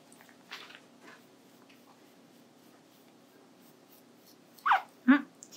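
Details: Pet guinea pig named Hi-chan, kept indoors, having the long hair on its rear untangled during grooming; a quiet room with faint rustling gives way to three short, loud squeaky bursts near the end, sliding downward in pitch.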